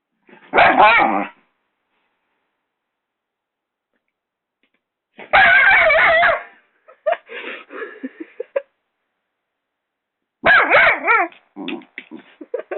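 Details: Six-month-old Doberman puppy attacking a hairdryer indoors: three bursts of harsh, yappy barks and snarling growls about five seconds apart, each followed by shorter grumbling yips, with silence between.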